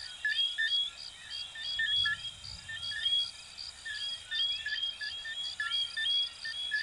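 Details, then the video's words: Coquí frogs calling at night in Venezuela and Puerto Rico: many overlapping callers giving short whistled notes and quick upward-sliding chirps, uneven rhythm, over a steady high insect buzz. "Sonidos de Ranitas de Venezuela 🇻🇪 y Puerto Rico 🇵🇷 "Coquí""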